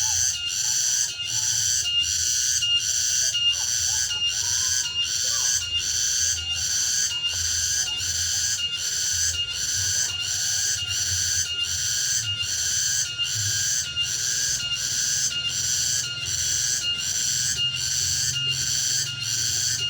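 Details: Cicada in full song on a late afternoon deep in the countryside: a continuous metallic, whining buzz throbbing in quick regular pulses for twenty seconds, with faint distant low sounds underneath.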